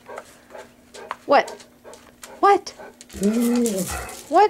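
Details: Golden Retrievers Bailey, Maya and Madison, aged 11–13, excitedly "sing" for their dinner with short, rising-and-falling howls, whines and brays, dancing as a person asks who wants dinner.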